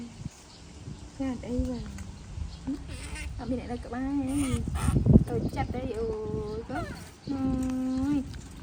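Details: Upset baby monkey protesting its mother's departure with a run of wavering, arched whines that grow louder and longer, ending in sustained, strained wails. Scuffling and low background rumble in between.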